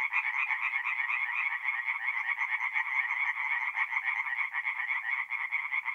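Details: Many tree frogs sing by night at a forest pond in north-east Italy in mid-April; their quick, raspy pulsed croaks merge into a continuous buzzing chorus that swells slightly in places.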